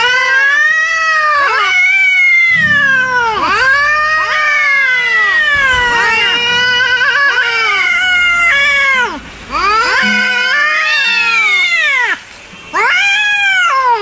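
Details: Enraged cats letting out continuous loud yowls, arching wavering wails that follow one another almost without pause, with two brief quiet breaks.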